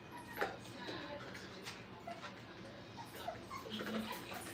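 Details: Brittany puppies, five weeks old, at play in a training kennel. Thin, short whimpers and small squeaky yips come at intervals through the clip, over broadband hiss and low background chatter.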